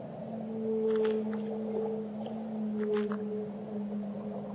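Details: Whale song from the deep: two steady, drawn-out tonal moans layered one above the other, with short clicky bursts breaking in twice, set against a soft watery hiss.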